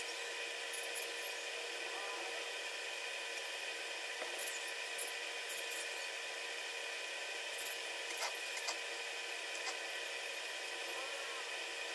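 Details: A steady electronic hiss and hum with faint scattered clicks, with no barking or other animal sound.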